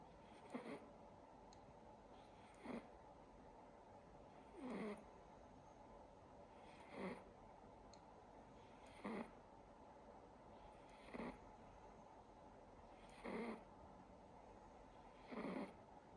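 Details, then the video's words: Silver Siberian Forest kitten asleep indoors, snoring steadily: about eight breathy, slightly raspy snores spaced around two seconds apart, evenly paced over a faint background hiss. "Watching my kitten snore"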